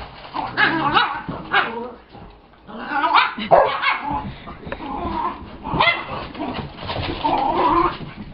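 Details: Play-chasing dogs, Brittany growling at Chase while Gypsy joins and Scotty grumbles; rough, noisy growls and barks in clustered bursts with short pauses, several overlapping dog voices.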